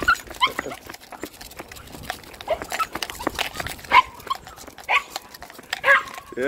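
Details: Excited Patterdale Terriers, fell dogs, eager to go, giving high, thin whines and yelps that rise and fall in short bursts about once a second, with a person speaking between them and faint outdoor background noise.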